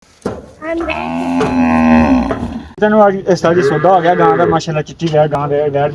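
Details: Friesian cow at a livestock sale: a long, steady, low moo of about two seconds, then shorter wavering calls and shouted voices with music in the background.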